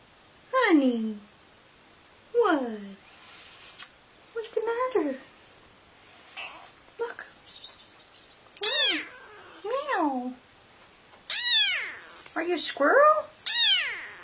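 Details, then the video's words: Domestic cat talking with its owner indoors: a series of loud, downward-sliding meows, some drawn out and wavering, traded back and forth with a woman's questioning voice in short pauses between calls. "Cats Talking With Their Humans | Funny Cats Yelling"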